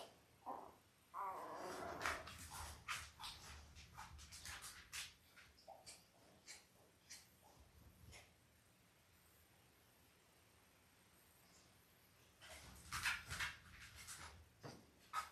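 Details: Labrador Retriever puppies five days old, Belle's litter of five males and three females, born October 15, 2023: a brief harmonic whimper early, then scattered squeaks, clicks and shuffling noises, a quiet spell, and a burst of squeaks near the end.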